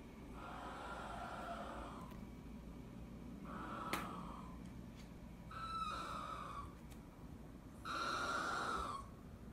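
A Maltese dog gives strange, screechy, wheezing cries, like a squawking pterodactyl, repeated every couple of seconds.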